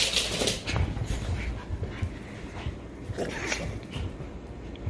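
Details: Jah the Chihuahua, reunited at an old apartment with Robert, the only other dog he play-fights with this way. Breathy, huffing bursts come quickly and unevenly, strongest at the start and again past the midpoint, with scuffling underneath indoors.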